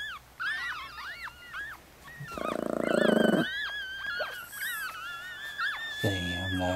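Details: Newborn Chihuahua litter, four days old, with their mother Bess in Fredericksburg, Virginia. Thin rising-and-falling whistly squeaks overlap from several pups, with a harsh pulsing buzz midway and a low rumble near the end.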